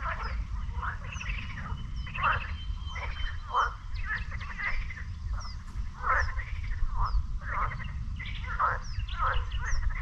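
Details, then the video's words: Frogs at a lake near the beach in Sinemorets on a May 2022 morning, several rasping croaks in short bursts every second or so, with faint high bird chirps and a low steady rumble beneath. "Frog Lake in Sinemorets"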